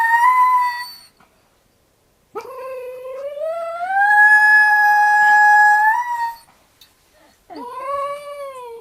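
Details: Pet dog with an unusually weird-sounding howl, giving a high tonal wail with rich harmonics: a short held note, a pause, then a long rising, sustained howl lasting about four seconds, and a final rising howl cut off at the end.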